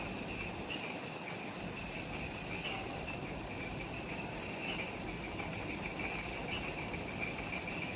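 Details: Jungle insects on Ishigaki Island, Okinawa, Japan, calling as evening light fades just after sunset: a high trill pulsing in quick repeated bursts, a second lower pulsing band, and a constant low rushing noise underneath.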